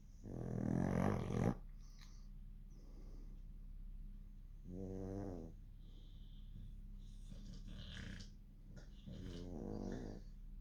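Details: Sleeping dogs snore in rough, rasping bursts about every four seconds, each breath a short, throaty rattle with a low rumble, separated by near-silence.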